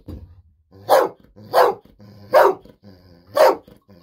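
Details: Excited for a fish-sausage treat, Golden Retriever Bis barks repeatedly indoors. Four loud, evenly spaced barks, each a single sharp burst, with soft low breathing sounds between them.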